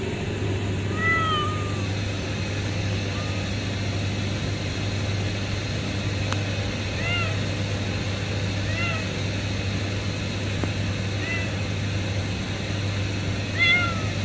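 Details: Kitten found under a pipe at a refinery, giving thin, high arched meows spaced every two seconds or so, each rising then falling, over a steady low machinery hum.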